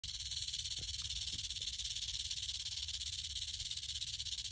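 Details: Angry rattlesnake found at a bulb line in the afternoon, poised and waiting to strike; a steady, hissing high-pitched rattle buzzes without a break, pulsing rapidly throughout.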